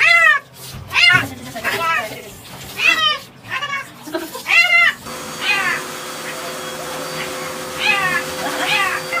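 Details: A cat being given a bath meows repeatedly, with short rising-and-falling cries coming roughly once a second. People talk over the first half, and the later meows sound strained and drawn out.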